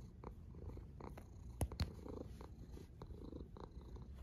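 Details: Brief stretch of a cat snoring, a low throaty rumble with breathy pulses and two quick taps near the middle.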